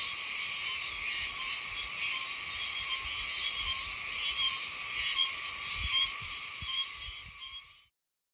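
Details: Oshima cicada calling high in trees in green areas north of Okinawa City, Okinawa, where it sings from about September to December as an autumn sound of Yanbaru. A loud, continuous, dense buzzing drone with a slight pulsing texture holds steady, then cuts off near the end.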